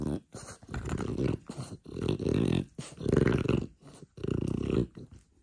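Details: French Bulldog growling: low, rough, rumbling bursts of roughly half a second to a second each, about five in a row separated by short breathy pauses.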